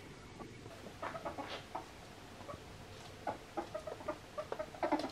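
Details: A male albino ferret, playing with slippers, gives soft, clucking chuckles in quick, uneven bursts.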